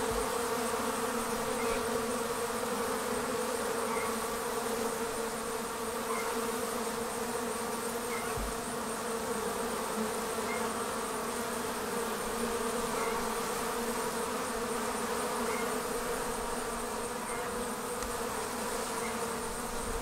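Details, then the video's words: Honey bee swarm leaving the hive: a softer, distant-sounding continuous hum, level and unchanging, with faint high ticks recurring every couple of seconds. "Bee Swarm Leaving the Hive"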